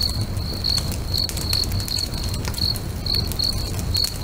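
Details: Cricket song by a lake at sunset: piercing, evenly spaced chirps roughly two per second, set against irregular sharp crackles from a burning bonfire and a low, murmuring background.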